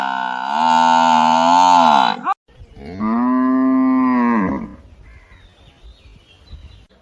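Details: Cow mooing twice: a long, loud, rich harmonic moo lasting about two seconds that ends abruptly, then after a short pause a second, lower, steadier moo of similar length, followed by faint background rustling.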